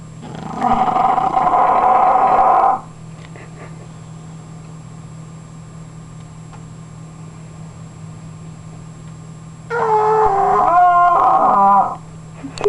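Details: English Bulldog snoring: a long grating inhale, a quiet pause of several seconds, then a wavering, nasal snort with shifting whistly tones, over a constant low hum.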